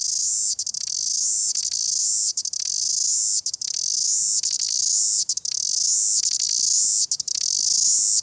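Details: New Zealand cicada in full song, a dense, piercing high-pitched drone that pulses with short stuttering breaks every second or so, sustained throughout without other noticeable voices.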